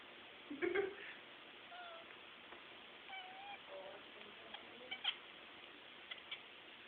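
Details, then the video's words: Pet cat making funny noises indoors: a short, loud, low nasal meow-like cry near the start, followed by soft chirping and trilling tones and a few faint clicks over steady quiet room hiss. "Kevin the cat makes funny noises."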